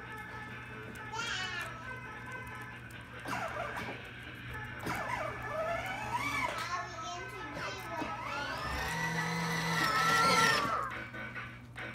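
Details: Cheerful music plays under children's excited voices and a loud scream, with ride-on toy noise indoors.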